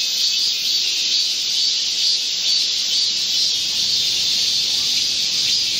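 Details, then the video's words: Chorus of Korean cicadas in a green forest at midsummer, in heat-wave weather, 25 July 2024. A continuous shrill hiss-like buzz holds level throughout, with slight pulsing rises and falls. "Korean cicadas, a chorus in a midsummer green forest"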